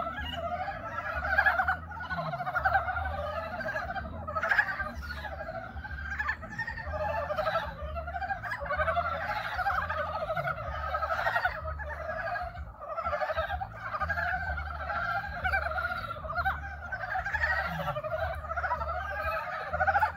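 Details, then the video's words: Frogs giving their courtship mating calls: a dense chorus of overlapping rattling, chuckling croaks, continuous and loud, with several callers throughout. "개구리 구애(짝짓기) 노래. Frog mating call"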